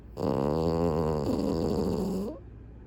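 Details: French Bulldog snoring while asleep with its eyes open; one long, rattling, low snore lasting about two seconds, quiet room.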